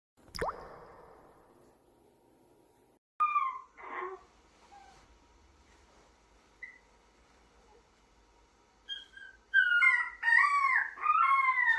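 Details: Chunja, a baby puppy in her first week settling into a new home indoors: a sharp knock, then quiet; brief whines, and finally a run of high, bending whimpers and yelps, several in quick succession near the end.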